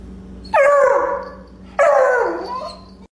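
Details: Bloodhound, a breed known for a deep, musical bark, giving two loud baying barks just over a second apart, each starting sharply and sliding downward in pitch as it trails off.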